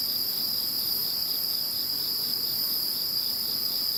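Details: After Typhoon No. 21, an insect chorus keeps up a steady high whine in layered bands, one voice throbbing in quick regular pulses, with faint low background noise.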